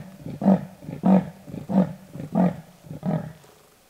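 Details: Rasping territorial call of a wild male leopard on patrol in Lion Sands: a steady series of about six deep, hoarse, sawing grunts, evenly spaced about two-thirds of a second apart, fading toward the end.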